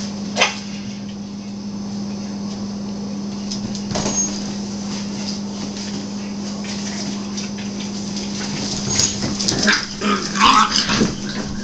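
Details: Nine-week-old puppies playing indoors on March 1, giving short high whines and yips amid scuffling clicks and pawing, with a steady low electrical hum throughout and a brighter whimper near the end.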